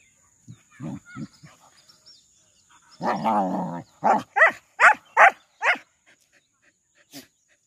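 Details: Saint Bernard at play among local dogs. A few soft low woofs lead into a rumbling growl, then a quick burst of five loud barks, with a faint last yip.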